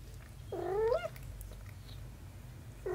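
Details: Domestic mother cat with her kitten daughter, a single drawn-out meow that rises then falls, clear and tonal, followed by a faint start of another call at the very end over low room hum.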